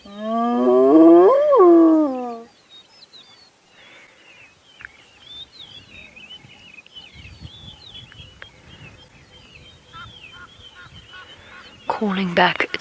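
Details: A spotted hyena on a sunrise drive at Djuma Game Reserve, South Africa, June 5, 2017, gives a loud, rising, hooting contact call rather than a territorial whoop, answering another hyena whooping far off towards the mountain.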